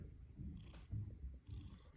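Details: Purring from an orange house cat, with low rumbling pulses that swell and fade about every half second in a breathing rhythm, set against quiet room sound.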